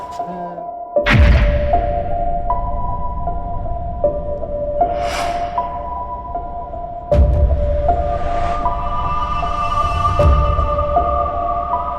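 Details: Tense background music with sustained tones and sudden loud bass hits, plus a brief trace of speech, with no animal sound heard.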